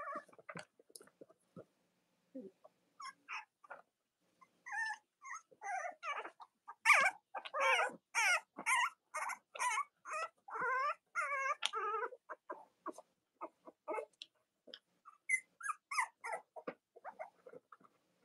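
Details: Cavalier King Charles Spaniel puppies from the litters of Robin and Myra, kept indoors on a chilly Monday morning near Halloween in the US, squeak and whimper in bursts, quickening into a dense run of high, wavering cries midway.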